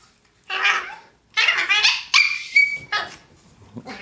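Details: Pair of Chihuahuas, one brown female and one black male, play-fighting indoors on a bed. Shrill yelps and a sustained whine rise in quick succession, then fade to soft rustling.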